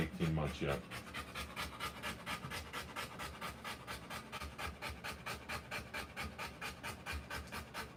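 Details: Rottweiler panting during the live birth of her puppies: rapid, breathy, steady pants at roughly two per second, after a brief human voice at the start.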